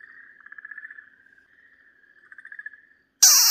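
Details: Okinawa green tree frog crying out as a Pryer's keelback snake bites it, March 2023: a pulsed, trembling wail that fades, then a second rattling burst, ending in a sudden loud blast of noise.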